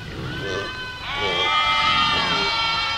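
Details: Goats in a flock passing through a village; a brief soft call, then a long, loud quavering bleat with strong bright harmonics filling the last two seconds.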